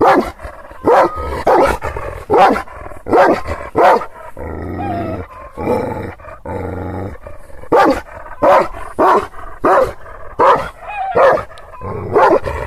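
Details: Angry Kangal shepherd dog in Aksaray, Anatolia, reacting to unfamiliar visitors: rough, forceful barks in irregular volleys, a quieter stretch around four to six seconds with a low droning hum, then barking resumes steadily.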